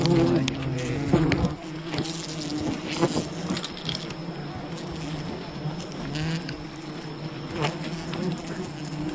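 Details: Humming of a wild bee colony as honey is gathered, a loud burst of buzzing in the opening seconds easing into a sustained low drone dotted with irregular clicks and rustles.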